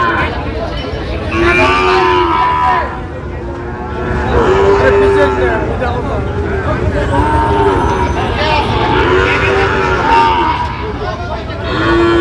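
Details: Sahiwal bull calves at a cattle market in Sylhet, Bangladesh, on 26 September 2025, giving drawn-out, wavering moos about every two to three seconds over steady crowd chatter, bargaining voices and passing vehicles.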